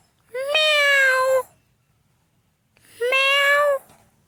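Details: Domestic cat giving two clear, loud meows about two and a half seconds apart. Each rises sharply, then holds a drawn-out, slightly falling tone with rich harmonics, in a quiet setting.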